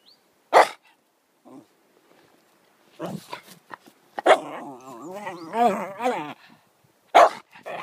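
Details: Yorkshire Terrier at home talking to its owner, giving a wavering, yodelling whine-howl in rising and falling pulses, with sharp clicks and knocks around it.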